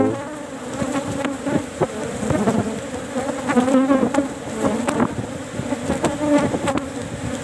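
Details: Apis cerana honey bees swarming around their fourth cultured box on harvest day, before the flowering season; continuous buzzing hum with shifting pitch, overlaid by scattered tapping and scraping from the frame being worked.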